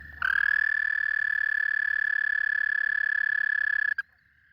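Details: Cane toad mating call, recorded up close and played back: one steady, high, even trill of rapid pulses that runs for almost four seconds before stopping abruptly. The background is quiet.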